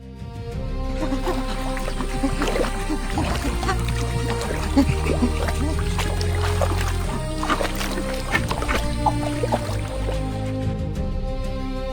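Steady music with deep bass and percussive beats, and no animal sound heard.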